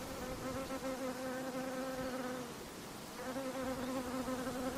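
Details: Close, persistent whine of a mosquito, a thin nasal buzz layered with overtones that dips and fades for about a second midway, then returns at the same pitch.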